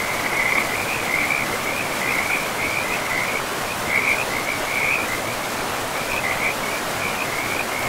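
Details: Frog chorus beside a river deep in a pristine forest, a continuous high, rattling trill with uneven surges and brief dips, carried over a broad, steady wash of flowing water.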